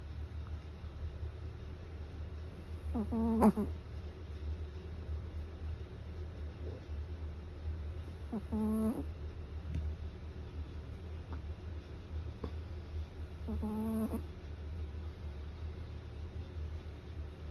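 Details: A pet Chihuahua snoring: short, rasping, harmonic snorts come roughly every five seconds, three in all, over a steady low indoor hum with quiet gaps between breaths.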